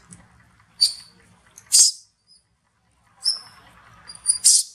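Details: Baby monkey Eleno crying loudly after being hurt in a hard fight with June, as mother Elsa moves to save her. Two pairs of shrill, high-pitched cry bursts, each short squeal followed by a louder harsh one, over faint low rustling.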